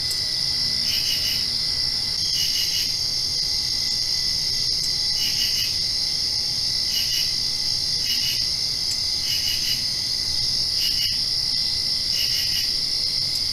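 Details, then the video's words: Crickets at night directly after rain: a steady high-pitched trill runs throughout, with brighter pulsed chirp bursts layered over it roughly every one and a half seconds, forming a dense continuous insect chorus. "Crickets Chirping"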